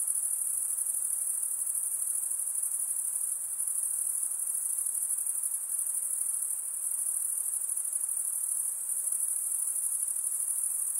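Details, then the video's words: Insects calling at night form an unbroken, very high ringing trill with a rapid pulsing texture, steady throughout with slight loudness changes, and a faint hiss underneath. "night insect sounds"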